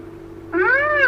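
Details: A single rising, nasal, mewing squeal from a rhinoceros, said to be a rare sound, cut off mid-call and backed by a steady low hum.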